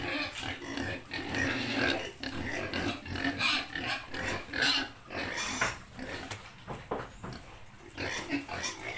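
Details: Pig in a rural setting making a run of rough, breathy grunts and squealing snorts, loud and close, with gaps of quieter rustling between bursts.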